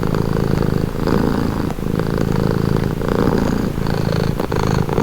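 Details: Relaxed cat purring close up, a dense low flutter alternating between stronger and softer phases about once a second as the cat breathes in and out.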